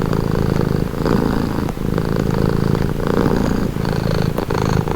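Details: Calming purr of a cat, deep vibrating rumble broken into breath-length phrases of roughly a second, with a short pause mid-clip and steady closeness.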